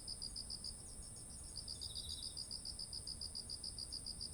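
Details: By fields of ripe rice in autumn, insects sing into a ZOOM H1essential: repeated high chirps pause briefly, then a short lower buzzing trill appears. Regular chirping follows, all layered over a continuous piercing high hum.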